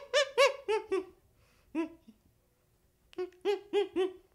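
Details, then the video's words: Baby chimpanzee making clear, tonal hooting whimpers, four quick notes, then a lone note, then another run of four, each slightly rising and falling, against a quiet background. "Baby Chimpanzee Sound"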